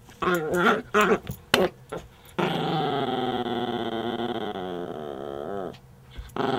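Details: A female Chihuahua growls while playing tug-of-war: a few short yips, then a long, steady, whiny growl of about three seconds, wavering in pitch, before breaking into more yips.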